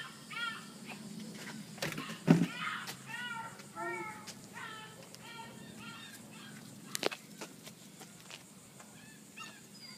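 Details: Ringo and Mingo, two male puppies filmed on 8-26-2013, make rising-falling squeaky whimpers in quick series, broken by a few loud knocks and thumps near the start and middle.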